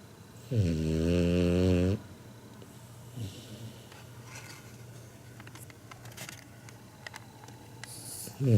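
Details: Kinako, a 7-month-old Labrador Retriever puppy, snores in sleep like an old man, loud as a human: one deep, droning harmonic snore lasting about one and a half seconds, then quiet breathing and faint rustles before the next snore begins.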